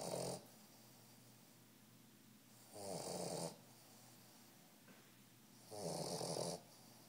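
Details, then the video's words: A 3-month-old Old English Bulldog puppy, asleep, snores in loud, raspy bursts roughly every three seconds. "Old English Bulldog snoring"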